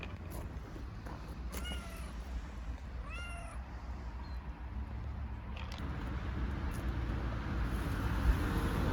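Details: Street kittens in Istanbul, hungry, meowing: two clear arched meows near the start, then only a heavy low rumble of street noise that grows louder toward the end.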